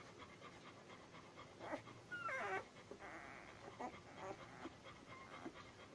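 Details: Labrador Retriever puppies, ten days old, give a brief whining squeal in the middle, with bending tones that rise and fall, among soft snuffling and rustling sounds.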